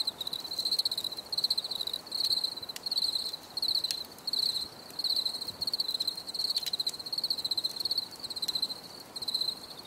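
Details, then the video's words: Crickets chirping for relaxation: a steady high-pitched trill in short pulsed bursts, roughly one burst each second, with a few faint clicks in the background and no music. "Les grillons || Bruit de Grillons"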